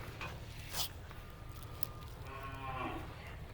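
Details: Black cattle over two years old with four teeth, live weight 237 kg, prepared for the Qurbani sacrifice; a faint, drawn-out moo with stacked harmonics rises near the end over a steady low hum and distant noise.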